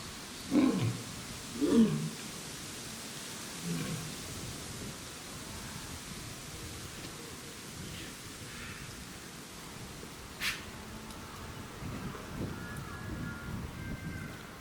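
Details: Captive lioness at Tobe Zoo, Japan, on 11 January 2023, threatening a male lion: two short, harsh, deep growling bursts about a second apart open the recording. Softer growls follow over steady background noise.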